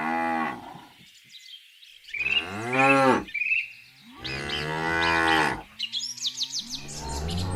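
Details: Dairy cow mooing several times, long loud harmonic-rich lows rising then falling, separated by short pauses, with bird chirps audible in the gaps.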